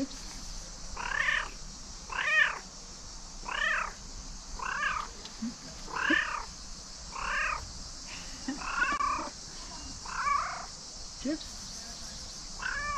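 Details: Domestic cat meowing at a tree as if trying to tell something; a steady run of clear harmonic meows, roughly one every second, with a faint hiss in the background.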